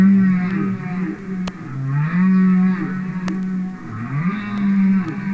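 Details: Humpback whale singing underwater, from a commercial record: low sustained groaning tones that swell and fade in a steady repeating cycle, with occasional sharp clicks over soft hiss.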